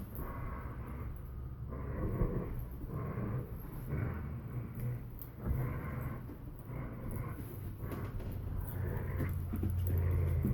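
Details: A borzoi and a collie puppy playing tug, with rhythmic breathy, growly bursts roughly once a second over a steady low hum, intensifying toward the end.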